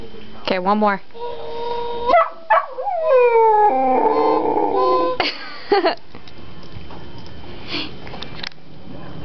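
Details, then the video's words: Shetland Sheepdog at home howling and barking, excited by bird call recordings played from a handheld identifier. Drawn-out wavering howls, sharp yips and brief electronic bird notes are heard, with people talking. "Howling Sheltie"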